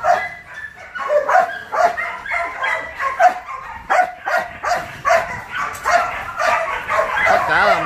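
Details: Belgian Malinois among the stud males at the Út Sáu kennel in Saigon: loud, sharp barks repeated about every half second in an irregular volley, with a man talking over them.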